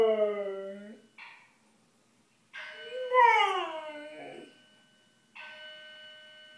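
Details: A Siberian Husky howls in wavering, rising and falling cries at a building fire alarm, over its steady beeping and announcements.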